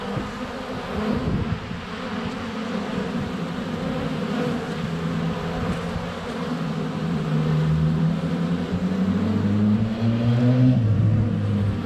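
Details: Honey bees flying at the hive entrance in February, GoPro within a foot of the hive: low buzzing drone, joined in the second half by louder gliding wingbeat tones, likely bees passing close to the camera.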